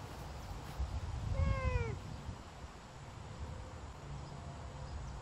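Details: Savannah cat on a summer walk: a single drawn-out meow with a slightly falling tone, lasting about half a second, over low wind or handling rumble.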